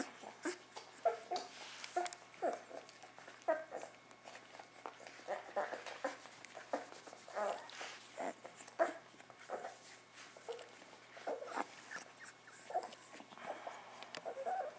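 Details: Puppies a few weeks old grumbling: soft, short squeaky whimpers scattered irregularly over a steady hiss, with many clicks and rustling noises throughout.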